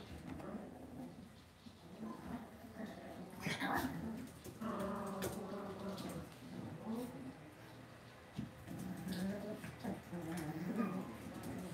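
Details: Cavalier King Charles Spaniel puppies raised indoors in a home puppy pen: thin, wavering whines and whimpers with stacked overtones, coming in bursts around the middle and end of the stretch, over low indoor room noise.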